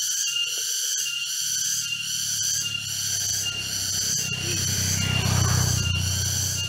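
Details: Chorus of cicadas in East Java forest near Jatiarjo, Prigen, Pasuruan, October 23, 2020: steady shrill buzzing overhead while louder low rumbling and handling noise from the walk build up below.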